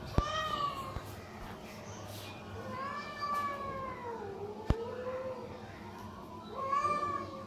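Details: Homeless cats, hungry, call loudly for food each morning before a feed of boiled chicken; a series of clear, harmonic meows, each swelling then bending downward, repeated several times over low traffic-like rumble and a couple of sharp clicks.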